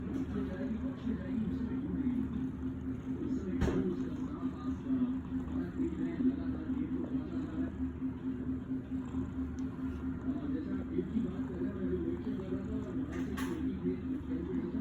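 A domestic cat purrs steadily, a low continuous rumble throbbing with each breath.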